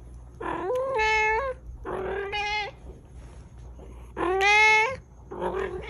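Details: Pet cat calling insistently with four loud, strained meows, each wavering and slightly rising, spaced roughly a second or two apart, over a steady low indoor hum.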